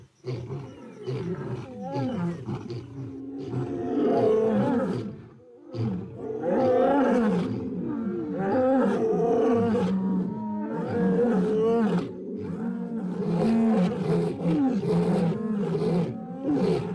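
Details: A chorus of wild lionesses roars until out of breath, giving the illusion of a very large pride and silencing the roars of two rival brothers. Overlapping, moaning, wavering roars swell and fall, with one brief lull midway.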